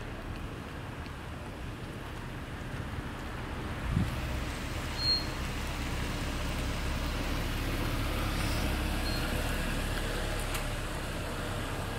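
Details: Steady low road-traffic rumble with passing vehicles and faint thuds near four and five seconds; no animal voice.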